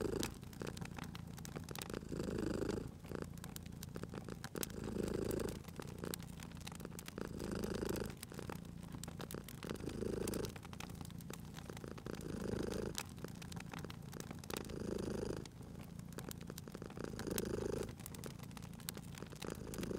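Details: Sleeping domestic cat purring beside a crackling fireplace in a cozy spring setting; a steady low rumble swells and fades in breath cycles about every two and a half seconds, with sharp crackles and pops from the fire throughout.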